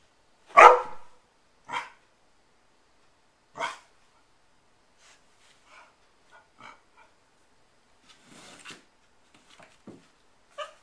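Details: Liza, an eleven-week-old puppy at play with a child on December 24th 2013, lets out three spaced sharp barks, then softer small yips and whines with faint rustling between them.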